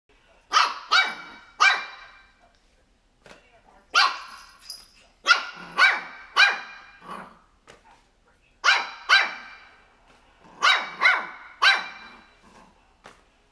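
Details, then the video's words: A 3-month-old Shih Tzu puppy barks at crocs shoes with high, sharp yaps in quick bursts of two or three. "Shih tzu puppy barking"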